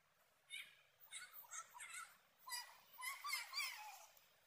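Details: Pet cat or kitten in Koralawella, Sri Lanka, giving a run of short, high, wavering meows in quick succession, several in a burst and then a longer rising-falling cry near the end, over a quiet background.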